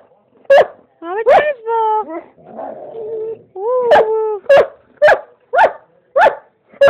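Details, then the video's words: German Shepherd male vocalizing alongside a person howling with him; drawn-out harmonic moans rising and falling near 500 and 1000, mixed with short sharp bark-like yelps repeated about once a second toward the end. "My shepherd boy making funny noises"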